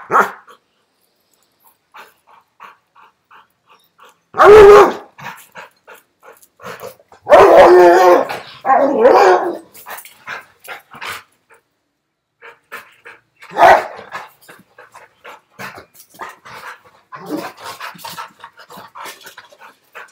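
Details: A Rottweiler in Sri Lanka, filmed with a giant iguana, gives deep, loud barks in short bursts separated by quieter pauses.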